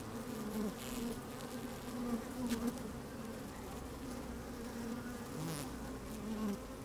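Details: Busy honey bees at an open hive, recorded by a microphone lowered into the colony on a sunny day: thick, even drone with short brighter buzz bursts and occasional crackling taps as bees shift about.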